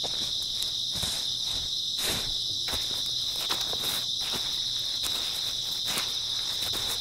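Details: Constant bright chirring of grass insects on an early autumn night, accompanied by heavier, more frequent footsteps on the ground.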